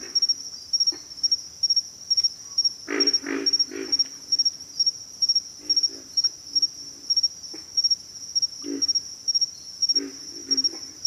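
Pig frogs give deep, pig-like grunts in short runs over a steady high insect trill.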